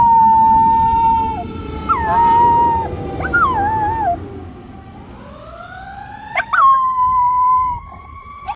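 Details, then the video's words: A female Miniature Schnauzer howls in long, wavering tones along with the wailing siren of a passing fire truck. "The Dog Howls At The Fire Truck"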